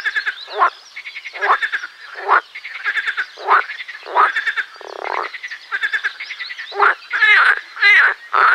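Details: Marsh frogs singing in a loud, busy chorus. Short pulsed croaks repeat about twice a second, with a brief buzzing burst midway and overlapping rattles toward the end.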